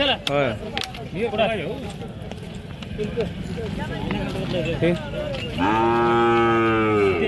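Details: Cattle at Kashti bullock market, where Khillar bulls and young bullocks are traded: men's voices discussing prices, then a sustained, deep moo held for nearly two seconds over steady market chatter.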